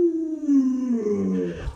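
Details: Luoluo, a pet Alaskan Malamute, gives a drawn-out tonal howl-whine of under two seconds, rich in harmonics, sliding steadily downward in pitch before fading, with a soft thump at the end.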